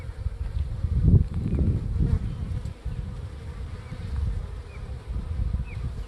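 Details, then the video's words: A swarm of about 20,000 honeybees, the first of 2021 on the Gulf Coast, later hived in an apiary box. Dense, low, droning hum that swells and fades in waves, loudest around the first two seconds. "20,000 HONEYBEES! FIRST Honey Bee SWARM OF 2021"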